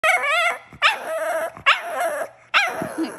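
A Shih Tzu makes wavering, moaning whines and yelps, like a dog trying to talk.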